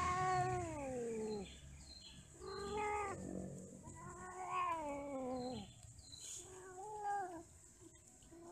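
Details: Domestic cats mating and quarrelling: long, loud, strained yowls that sweep down in pitch, several drawn-out wails separated by short pauses, with a faint background hum.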